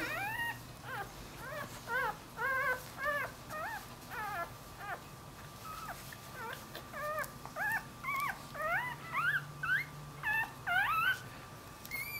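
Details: Puppy whining steadily indoors, short rising-then-falling whimpers repeated roughly twice a second throughout, with a faint constant electrical hum underneath.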